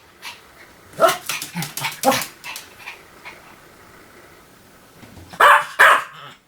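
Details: Small Pomeranian yapping, a loose series of moderate barks at the start, a pause with low background noise, then two loud sharp barks close together.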